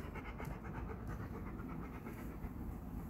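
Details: Jaxson, a 1.5-year-old Golden Retriever in obedience training with Off Leash K9 Training in Georgia, pants rapidly and steadily, quick breathy puffs repeating several times a second, while a handler gives down and heel commands amid low background rumble.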